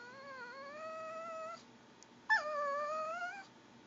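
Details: Female Pomeranian whining to beg for goldfish crackers: two drawn-out, wavering, gurgling whines, the first about one and a half seconds long and the second slightly shorter and rising at the end, separated by a short pause in a quiet room.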